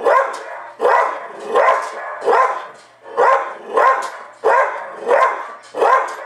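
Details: Domestic dog barking at himself on a television replay of his earlier barking: a steady series of nine harsh, full barks, roughly one every 0.7 seconds, each with a sharp onset and fading tail.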